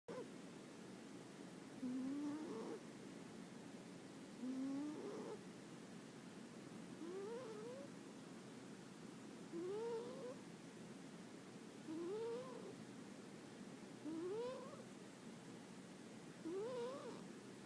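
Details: Sleeping pet cat named Kuri snoring: a rising, tonal, whistle-like snore climbing in pitch on each breath, repeated about every two and a half seconds, in a quiet room.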